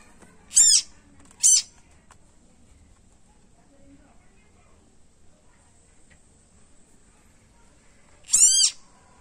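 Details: Tiny frog crying loudly after being bitten by a snake: three loud harmonic screams sliding downward, two close together at the start and one near the end, with quiet background between.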